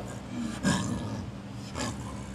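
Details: At Maruyama Zoo on 22 July 2010, captive snow leopards Akbar, Yamato (male) and Yukko (female) exchange calls between adjacent enclosures; two short, harsh, breathy bursts about a second apart against a constant low hum.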